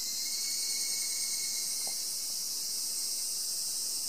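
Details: Unbroken high-pitched insect buzzing fills the forest of Mount Takamine near Obaku, Uji, an even shimmering hiss with a faint steady whine underneath and one brief soft knock.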